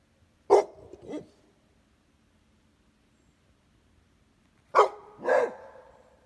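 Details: Domestic dog, either a Pitbull or a Beagle–Basset Hound mix, barking indoors: a sharp bark followed by a softer second bark, then quiet, then another double bark about four seconds later. The second pair is louder and more drawn out.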